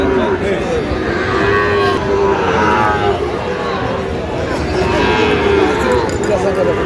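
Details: At a Comilla cattle market in Bangladesh, 13 November 2025, Sahiwal bull calves give drawn-out, even-pitched moos, several animals calling in turn above a dense background of market crowd noise.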